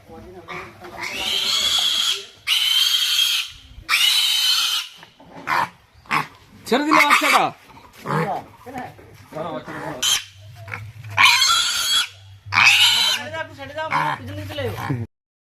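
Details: Domestic pigs at a pig-farming place where all kinds of pigs are offered, a piglet being handled and let go; harsh, noisy squeals in one-to-two-second bursts, repeated irregularly, with people talking in Bengali between them.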